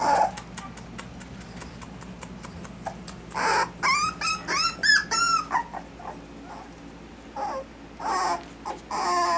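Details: Miniature Dapple Dachshund puppies from Austin, Colorado, whimpering in a run of high, arching whines that rise and fall, thickest midway through, then a few more near the end, after a stretch of soft rapid clicking or tapping at the start.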